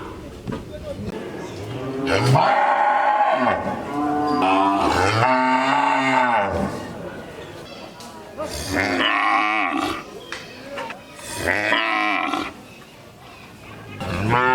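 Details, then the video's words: Several loud, rough moos from cattle come in bursts over fifteen seconds, some deep and sustained, others higher and strained, with quieter gaps between them. "6 Cow Mooing, Whose Voice Is Good। Cow Sound"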